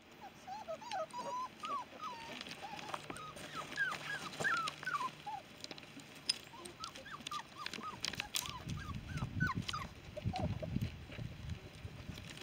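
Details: Litter of five-week-old female Giant Schnauzer puppies whimpering and yelping: many short, high, squeaky whines overlapping in quick succession, some rising then falling, with a low rumbling noise in the second half.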